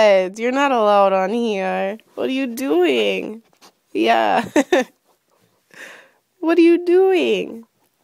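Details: Morning play indoors between Wiz the husky and Pebbles the chihuahua: long, warbling, sing-song yowls in several bursts, sliding up and down, with short gaps and a few scuffling noises between them.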